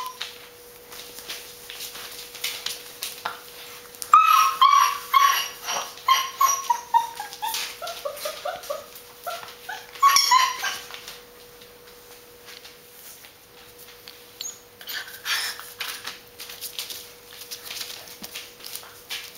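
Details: Great Dane puppies of one litter at five weeks old, a breeder's litter; bursts of short falling whimpers and yips, several overlapping, amid broadband clatter and rustling, with quieter spells between.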